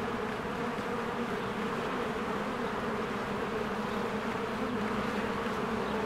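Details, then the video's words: Honeybees busy at their hive during spring bloom. The steady, layered drone of many bees fills the whole stretch, with almost no other sound. "1 Hour of a Beehive ASMR"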